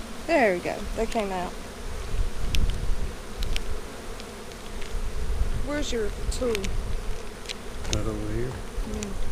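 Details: Honey bees buzz around an opened hive during an April 15, 2017 inspection of a split made March 4. Individual bees fly past close by, their buzzing swooping up and down in pitch, over low rumbling handling noise.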